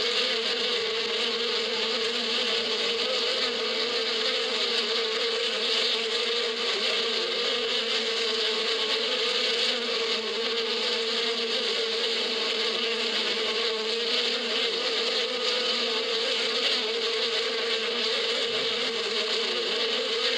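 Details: Spring buzzing of a crowd of bees in the badia, a constant even drone lasting the whole stretch, level and unchanging, with a faint low rumble now and then beneath it.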